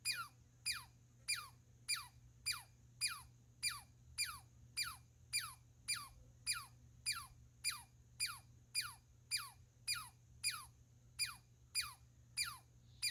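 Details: Rhythmic squirrel calls: about twenty bright descending zaps in thirteen seconds, evenly spaced and similar in shape, with a low background drone.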